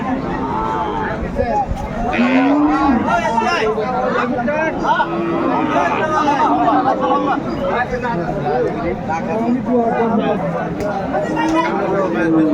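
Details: Cows with calves at a livestock market in Aftabganj, Dinajpur, on 4 January 2025: a few drawn-out, low, wavering moos surface through constant bargaining chatter and crowd noise.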